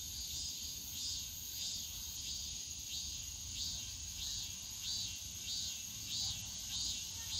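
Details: A cicada in the Yongsan Family Park bamboo grove on a summer day repeats a short swelling, rising-then-falling buzzy phrase about every 0.6 seconds, over a softer background hiss of other cicadas.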